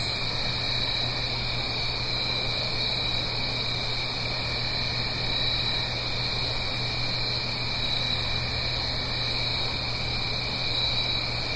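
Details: Autumn night cricket chorus recorded in the Blue Ridge Mountains above a gentle stream, heard as continuous shrill trilling in several layered pitches, unbroken throughout, with a low steady hum and wash of hiss underneath.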